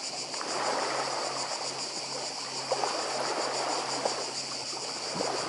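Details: High, evenly throbbing drone of cicadas recorded on Badija Island, Croatia, in 2024, partly covered by strong surging sea noise and a low constant hum, with occasional soft clicks.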